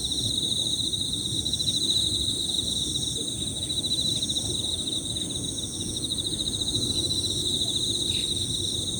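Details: Emma field crickets calling together, their high, beautiful trilled chirps layered into one continuous pulsing tone, with higher-pitched insects above, a few soft bird notes and low outdoor rumble beneath.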